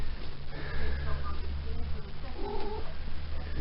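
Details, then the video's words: Female Maine Coon cat, just come into season, chatting with her owner while having her back scratched indoors: steady low purring throughout, with a short rising trilled chirp near the end, over the owner's coaxing voice. "The Talking Maine Coon Cat"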